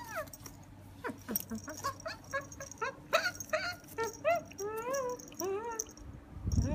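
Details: Pet Beagle Cooper, with his comb, lets out a rapid run of short yelping whimpers, some clipped and some longer with a rising-falling bend, over a low background hum, ending in a brief rustle.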